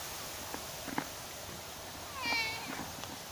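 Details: Stray cat that had been sleeping on top of a cat house gives one short, tonal meow partway through, over a steady background hiss with a few faint taps.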